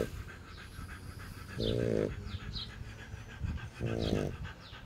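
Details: French Bulldog breathing heavily: two loud, voiced, nasal panting bursts about two seconds apart, each roughly half a second long, over softer continuous breathing.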